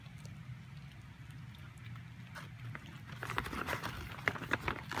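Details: Miniature Pinscher making purring sounds while asking for treats: a low, steady throaty rumble runs throughout, with clicking, scuffling noises growing busier in the second half.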